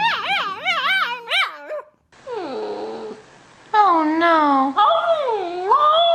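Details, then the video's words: Dog "talking" to its owner, a run of quick wavering whines, then drawn-out, sliding, yodel-like howls that rise and fall in pitch, with one short silent gap. "Funny Talking Dogs"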